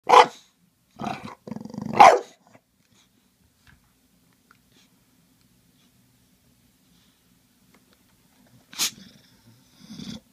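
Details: An English Bulldog facing a spray bottle, which he hates, gives short, gruff barks and rumbling growls in scattered bursts with quiet gaps between.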